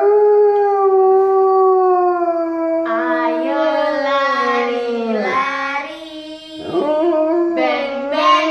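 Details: An Alaskan Malamute howls along as a backing vocal to people singing, in long, wavering tones sliding up and down in pitch.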